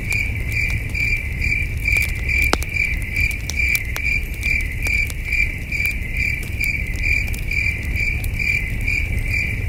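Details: Chirping crickets on a starry night in the wilderness near a glowing campfire; a continuous high pulsed trill beats about two to three times a second while fire snaps and crackles and a deep rumble persists.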